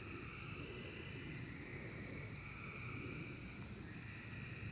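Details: Steady, dense insect buzzing at the 2024 cicada emergence, high and unwavering, with a softer lower drone and low-frequency background rumble.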